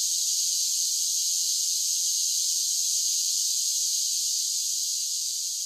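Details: Singing cicadas on a summer day form a continuous piercing whir, high and hissy, steady at first and fading a touch toward the close; no other sounds.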